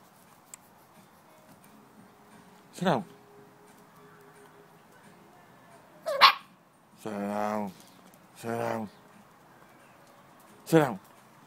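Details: Patterdale Terrier x Jack Russell Terrier puppies, seven and a half weeks old, playing about; five sharp yelps and harmonic barks, some sliding down in pitch, come at uneven intervals over about eleven seconds above a faint steady hum.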